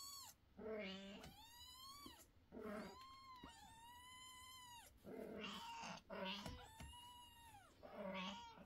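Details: Young kittens meowing loudly indoors; long drawn-out meows, some rising then falling, follow one another in quick succession, overlapping, with bursts of household voices between them.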